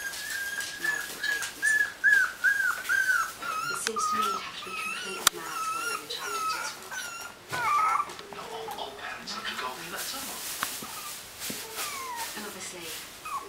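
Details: Puppies whining in a small room: a near-continuous run of high, quavering whimpers, some wobbling up and down, others sliding downward, with quieter murmured voices and occasional knocks beneath.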